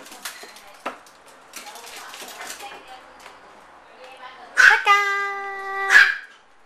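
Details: Micro teacup poodle pet in Hong Kong: scuffling and faint household noise, then a steady, high-pitched whine held for over a second, ending with a sharp yelp.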